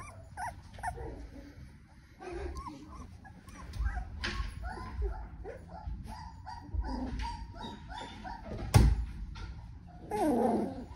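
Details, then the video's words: Doodle puppies dated 10-7-2020 making scattered short yips and thin whines at irregular intervals, with a sharp knock near the end and a higher drawn-out whimper closing the sequence. "McKenzie's Doodles Puppy Video 10-7-2020 - Rose & Haggard"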